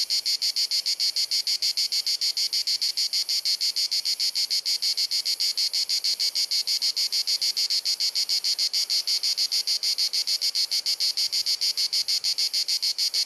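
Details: Cicadas filling the air on a hot sunny Dalmatian afternoon in Croatia, recorded on a compact camera: repetitive clicking, chirruping buzz, shrill and unbroken, beating regularly around three pulses a second throughout.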